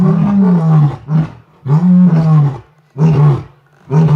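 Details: Lions at Londolozi: a Birmingham male and an Ntsevu pride female roaring together after soft contact calls, answering other lions calling in the distance; deep, loud moaning roars in long bursts, followed by shorter ones.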